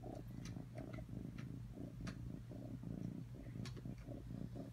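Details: Low, continuous purring from Atreyu the cat, a grainy rumble that pulses in quick, irregular surges, with a few sharp ticks and light rustling sounds mixed in.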